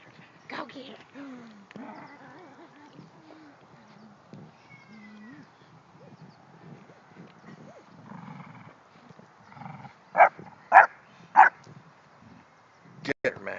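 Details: An English Bulldog guarding her bone makes gravelly, gremlin-like grumbles and growls while a woman talks and urges another dog on; the owner says she is very touchy when she has her bone.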